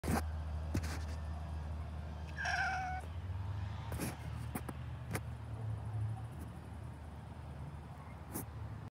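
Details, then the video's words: Domestic cat giving one short, clear, tonal meow, slightly falling, lasting about half a second, over a steady low rumble with scattered clicks and knocks. "A cute meow"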